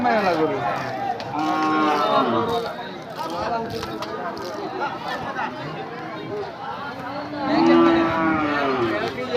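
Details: Mostly native Bangladeshi cattle with a few Australian ones at a busy Eid al-Adha market: several long wavering moos, the loudest near the end, amid steady crowd noise and talking.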